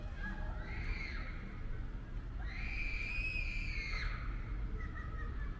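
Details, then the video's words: Calico cat giving two clear, drawn-out meows: a short one near the start, then a longer, louder one that rises, holds and falls over about one and a half seconds, with a faint trailing call after, over steady low rumbling background noise. "Cute Meowing Calico Cat"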